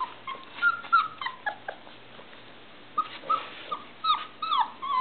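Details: Irish Setter puppies aged three and a half weeks, whining to get out of their box: overlapping high whimpers and yips, some rising then falling, coming in quick uneven bursts throughout from several pups.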